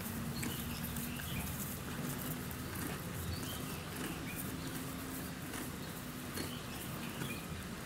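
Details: A donkey at Yuki Park Zoo in Kofu, Japan, chewing with steady crunching and grinding sounds from its jaws.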